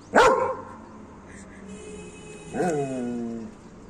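A German Shepherd barks twice, about two and a half seconds apart. The first is short and explosive; the second is drawn out, starting high and sagging lower into a throaty, whining tail.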